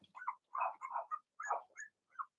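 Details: Cavalier King Charles Spaniel puppies, Blenheim litter of six in an indoor puppy pen, giving a run of short, high yips and squeaky barks in quick uneven bursts, several overlapping, with brief pauses between.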